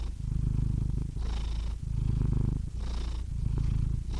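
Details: Close cat purr: low buzzing rumble on the exhale, softer hissing breath between, three full breathing cycles, no background noise.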